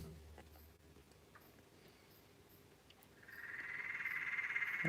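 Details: Wild Peron's tree frogs (Litoria peronii) heard around a house break into a loud, rapid, rattling trill after a few quiet seconds.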